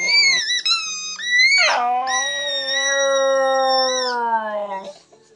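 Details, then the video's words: Howling from Buddy, a Border Terrier: wavering high notes that break into one long steady howl lasting over two seconds, gently falling in pitch before fading out. "Buddy the Border Terrier howling"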